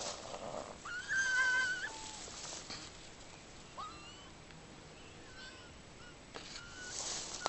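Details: Raccoon dogs quarrelling; a sustained high whining cry followed by shorter rising squeals and yelps, scattered through quiet background.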